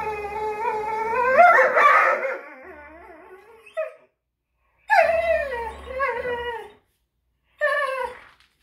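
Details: Greyhounds fighting over a toy, with a loud wavering howl-like whine, then two shorter quavering whines separated by silence, each sliding down in pitch.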